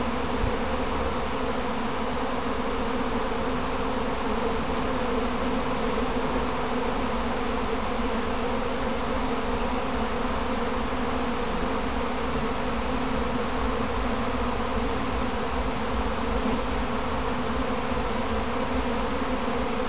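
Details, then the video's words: Honey bees kept by a beekeeper, a practice swarm clumping on their hive box before returning home; dense, steady low drone of countless wings filling the recording without pause, layered hum with no other sounds. "Inside a Honeybee Swarm"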